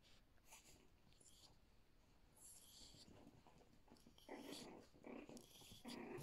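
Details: Two Yorkshire Terrier puppies, 39 days old, at play indoors; soft scuffles first, then louder low growly grumbles and whiny bursts in the second half, close and continuous.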